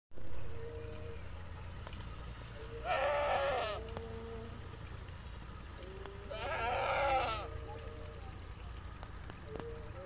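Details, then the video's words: Goat on a goat and sheep farm in Pakistan, two wavering bleats about four seconds apart, each close to a second long, over a steady low rumble and faint background hum. "goat and sheep sound"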